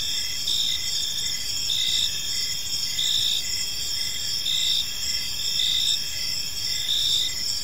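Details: Cricket chorus in a tranquil evening park: shrill, pulsing chirps repeat roughly once a second, multiple insects overlapping in a continuous high ringing, with soft low ambient noise beneath.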